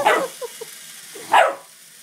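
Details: Dobermann puppy playing during a pedicure, giving two short sharp yips or barks about a second apart, with soft whimpering squeaks between them.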